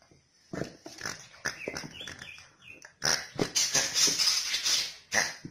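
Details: Corgi dog making uneven whining yelps and short barks, quieter at first, then a louder, denser burst of high, strained vocalizing from about three seconds on.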